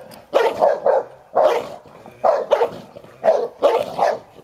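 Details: During rough play over a toy between ten-year-old Hovawart Sherlock and one-year-old American Staffordshire Terrier Heini, steady runs of paired and tripled barks repeat about once a second.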